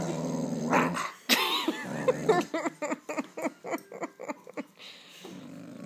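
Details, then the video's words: Pet dog wearing a cone growls aggressively, rising into snarling yips, then a run of short rhythmic growling pulses about twice a second, ending in a low rumble. "Vicious dog"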